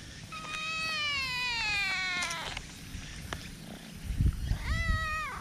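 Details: A sociable black cat in a park, nuzzling up to a person and caught on a GoPro, lets out a long wavering meow that slowly sinks in pitch, then, after rustling, a short rising-and-falling meow.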